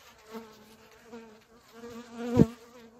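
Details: Honey bees from a swarm overwintered outdoors in a homemade sandwich-style hive and fed energy and protein cake, spreading across the frame: a steady low droning hum with a sharp knock near the end.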